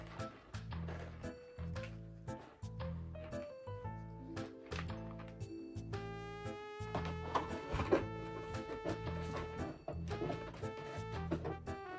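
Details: Light plucked background music over a bouncy rhythmic bass, no animal voice heard.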